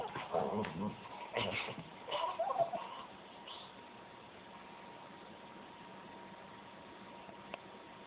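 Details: A pet English Springer Spaniel behaving oddly indoors gives a few short whiny yips and whimpers during the first three seconds, then falls silent while a steady low hiss continues.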